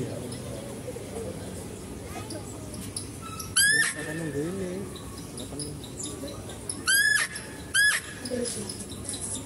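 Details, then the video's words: Zoo-kept female deer calling during feeding of a male deer. It gives three sharp, high squeals, one alone and then a close pair near the end, over soft human chatter and murmuring background noise. "mendengarkan suara rusa betina"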